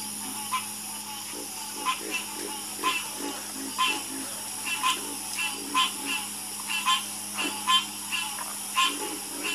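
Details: Frogs croaking in a chorus at night, short pulsed croaks repeating about every second with a steady high insect-like drone underneath throughout.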